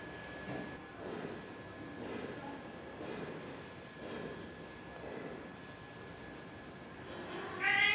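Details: Kittens playing and attacking each other; soft rhythmic muffled puffs roughly once a second, then a sudden loud, high harmonic meow right at the end, over a steady low background hum.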